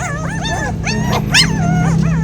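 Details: Hungry puppies crying as they wait to be fed: high, arching whines in quick overlapping bursts, some rising and falling, with a person talking to them nearby.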